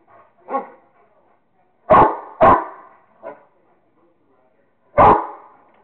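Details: A Rottweiler named Kingston plays with a squirrel, giving a quick run of barks. A softer bark comes first, then a close pair of loud ones, a small yelp and one more loud bark, all irregularly spaced.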